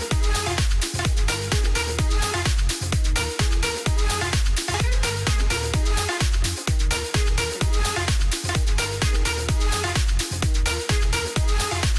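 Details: Pulsing trance-style electronic music with a regular four-on-the-floor beat; no animal sounds.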